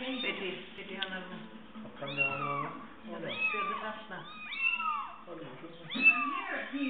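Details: Little fluffy kittens on a chair, indoors, giving a run of high, arched mewing cries roughly every second, several overlapping, with a person speaking Spanish underneath.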